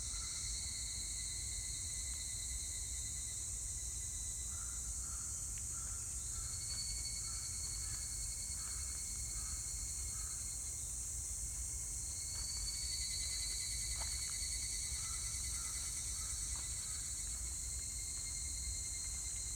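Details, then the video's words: Evening cicada song from 25 July 2019: overlapping bursts of fast, pulsed high notes that restart every few seconds, set against a dense unbroken hiss of other insects, faint soft chirps and a low background rumble. "セミの鳴き声 ひぐらし"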